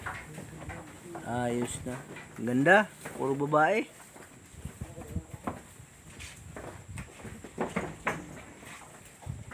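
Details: Newborn goat kid bleating in a quavering, wavering voice: a short bleat near the start, then two tremulous bleats in quick succession, with people talking in Filipino close by throughout.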